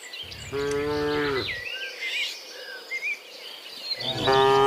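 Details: Cows walking home from fields to the pen during the afternoon; one sustained harmonic moo lasting over a second, then another starting near the end, with birds chirping and insects droning.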